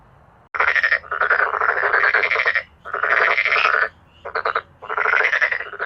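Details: Male black-spotted pond frogs calling together in a loud, forceful chorus; long rattling croak bursts of about a second or more, several in a row with short pauses, pulsed and harsh.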